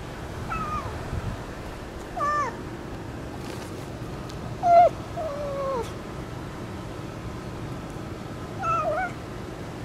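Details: Stray cat meowing in a cute voice while coming up to give kisses: five short, soft meows spread across the clip, each bending upward and then falling, with steady low background noise.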